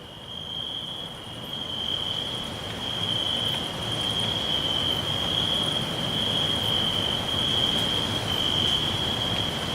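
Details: Forest crickets trilling: a steady shrill buzz persists throughout while a broad low rushing noise rises after the opening seconds and stays loud.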